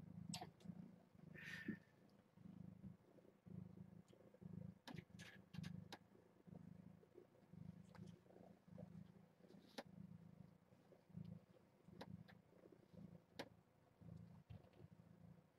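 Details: Kittens from a litter of seven born June 21 to Nala Se, a stray taken in by Purrfect Pals, at morning formula feeding indoors. Soft low purring pulses repeat steadily throughout, with scattered faint clicks and handling noises.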